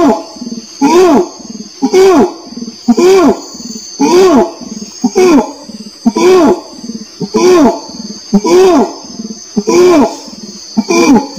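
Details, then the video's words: Orangutan calling faster and slightly higher, with arched, rising-then-falling harmonic moans about once a second, each separated by short breathy gaps, while a steady high hum runs throughout. "SUARA ORANG UTAN"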